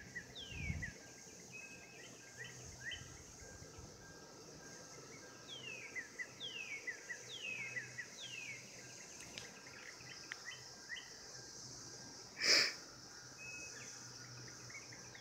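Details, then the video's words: Cicada chorus recorded in 2016 during mating, an unbroken shrill drone, with repeated downward-sliding whistles and short chirps through the middle and a loud sharp tap near the end. "Cicadas 2016 mating"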